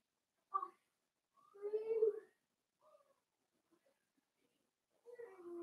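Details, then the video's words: Five Blenheim Cavalier King Charles Spaniel puppies born at New Year's play with their mother Paris inside their pen; a short yip, then a drawn-out tonal whine that slides upward, a brief soft squeak, and another whine starting at the end. "Cavalier Puppies Play with Mama"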